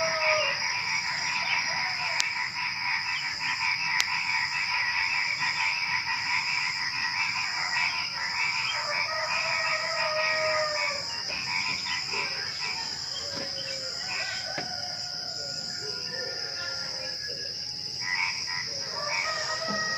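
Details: Night chorus shortly before dawn where frogs croak alongside crickets; quick irregular bursts of grating pulses repeat almost three times a second beneath constant high insect buzzing and a few sharp clicks.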